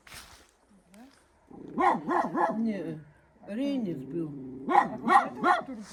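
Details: Dog barking near an abandoned old couple's house in a Baltic village, with people audible nearby: bursts of three quick yelping barks, a pause with a few softer yaps, then another run of three sharp barks.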